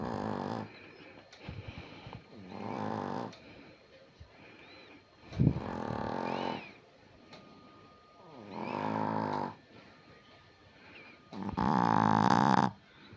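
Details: Sleeping pet Chihuahua snoring indoors, resting with eyes open: four or five low, rasping, vibrating snores, each about a second long, repeating every two to three seconds, with soft breathing between and quiet talk in the room.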